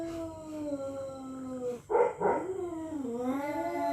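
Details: Night-time standoff between territorial cats: a low drawn-out moan, then a short harsh rising outburst, followed by a renewed wavering, climbing yowl.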